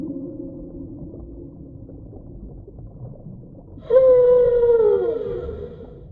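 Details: Whale call. A faint low hum drifts for several seconds, then a sudden loud, rich tonal moan bursts in and glides slowly downward before fading into the deep background rumble.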